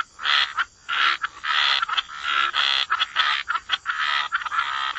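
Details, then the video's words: Wetland frogs calling at the water's edge, with a steady run of harsh, grating croaks in rapid bursts of about half a second and short pauses between them. Several animals overlap. "Relax to the Sound of Croaking Frogs"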